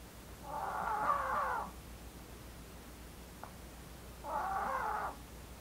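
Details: Blue the female Maltese, daughter of Jamong and Fanta, snoring in her sleep: two raspy, whistling snores about three seconds apart, with a tiny click between them and soft room noise.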